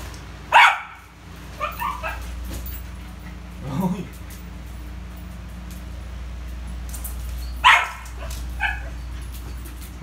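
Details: Rio, a pet Poodle, playing with a ball: two sharp, high yapping barks, one near the start and one about seven seconds later, with quiet talk and low room hum between them.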